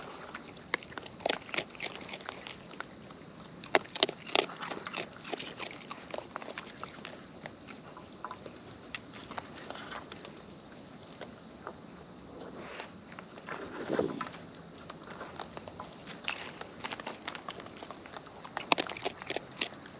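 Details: Wild raccoons filmed close up while eating: dense bursts of crisp, crunchy chewing clicks, irregular and clustered, with soft rustling between bites and a quiet natural outdoor background.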